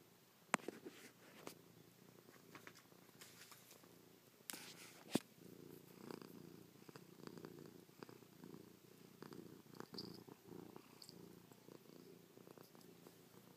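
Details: Low, even purring from Chloe, a house cat nuzzling, pawing and licking her owner's face after sleeping on their back all night. A few sharp taps and rustles sound early, then the rumble steadies.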